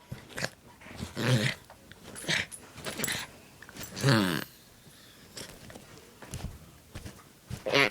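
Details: A Pomeranian-Welsh Corgi mix dog makes odd, groaning, half-growled noises in short bursts, with people talking nearby.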